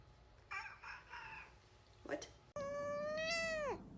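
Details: Domestic cat with an unusual meow: after soft broken bursts, a long clear harmonic meow held level and then falling sharply at the end, in a quiet indoor room.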